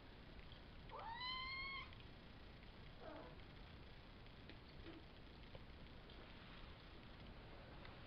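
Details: A single drawn-out meow, rising then holding level, from one of five Savannah kittens sired by Kendi out of Gargoyle, born April 22 and recorded May 30. Soft scuffles follow in a quiet room.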